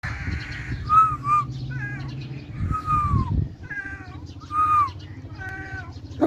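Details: Hungry domestic cat lying on the ground and yawning, giving a series of short, arched meows that rise then fall, each about half a second long, repeated roughly every second with brief pauses; low steady hum underneath.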